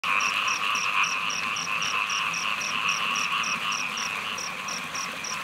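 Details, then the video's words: Small frogs calling during heavy rain in Thailand: a dense, unbroken chorus of steady trilling, topped by rapid high ticking notes about four per second, all over loud hissing rainfall. "เสียงเขียด- ยามฝนตก ฉ่ำ ๆ"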